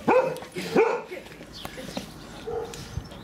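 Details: Playful barking from Daisy, an English Springer Spaniel mother urging her son and daughter to play with her: two sharp, ringing barks open the stretch, then softer scuffling and faint yips follow.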